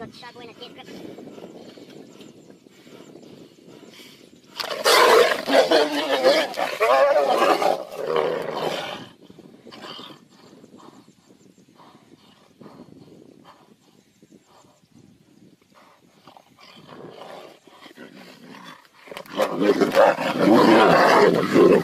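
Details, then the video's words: Tigers fight with two long loud bouts of harsh roaring and snarling, several seconds apart, separated by quieter rustling and low growls. "Tiger Vs Tiger, Tigers Fight"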